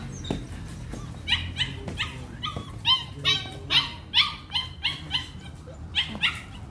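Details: Belgian Malinois Hunter in bite work training: a run of sharp, high-pitched whining yelps, each a short bent note repeated a bit over twice per second, loud and eager over faint low background noise.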